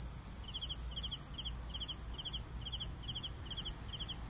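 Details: Clear cricket chirping, nine short pulsed bursts in just over four seconds, riding above a continuous high-pitched buzz and a gentle low background hum.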